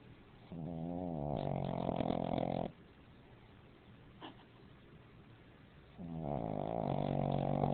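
A Pekingese snores in two long, rumbling, harmonic breaths separated by a quiet pause.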